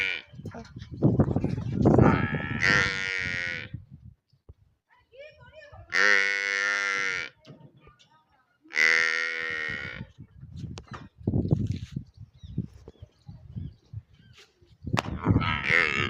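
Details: Water buffalo calf in a village calling in four harmonic, bleating moos about a second each, spaced several seconds apart, with low rumbling handling noise and faint voices between calls.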